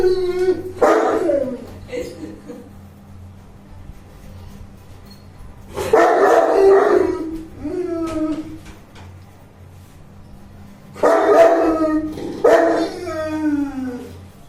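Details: Bruno, a 21-month-old Saint Bernard, barking while playing indoors: three loud bursts spaced about five seconds apart, each a rough bark sliding into a whining tail, with quiet hum between.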